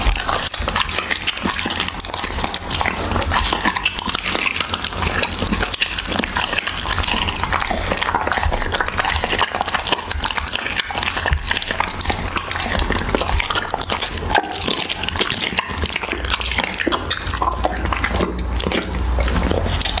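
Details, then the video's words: Pet Siberian Husky chewing raw beef up close, a steady stream of moist smacking, tearing and licking noises filling the whole stretch without pause. "Husky ASMR | Mukbang eating raw beef"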